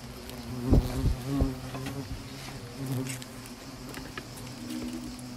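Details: Asian hornets during a small attack at Nîmes: low droning wing buzz with layered harmonics, several loud close passes in the first second and a half, then a steadier, fainter hum with light background noise.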